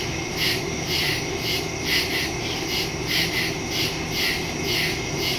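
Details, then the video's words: Night crickets calling in the woods, recorded September 2, 2023 with a Shure MV88+ stereo microphone on a phone; high trilled chirps swell roughly once a second, many insects overlapping against a constant high buzz. "Crickets in the woods at night"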